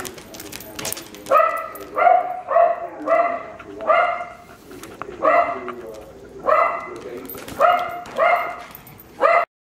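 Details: Wire Fox Terrier, a rescued female from a puppy mill, barking at play while a male dog tries to get her attention; a quick series of sharp, harmonic barks in short bursts, about ten across the recording.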